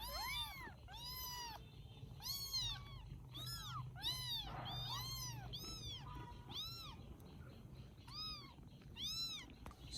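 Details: Rescued baby kittens in Vietnam meowing repeatedly before sleeping after a meal: a long series of high, arched, evenly spaced mews from several kittens over a low background hum and faint soft music.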